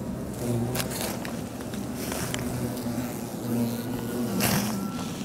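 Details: European hornets at a nest high in the hollow of a large garden tree in Fukushima City, Japan, during removal on October 10; low droning buzzes that waver and slide in pitch as insects fly past, over rustling and clattering noise.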